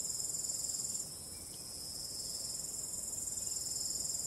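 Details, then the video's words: Night crickets with calm wind: rapid high-pitched pulsed chirping, about four beats a second, fading to a quieter stretch after one second, then swelling back to the full rhythmic chorus. "45 min of ambient relaxing cricket sound"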